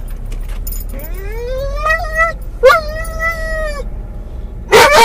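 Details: A Doberman/collie cross called Mungle, muzzled in a car, whines over his Moromom toy. One long whine climbs steadily upward, followed by a sharper high whine held for about a second. A loud burst ends the clip, over engine rumble.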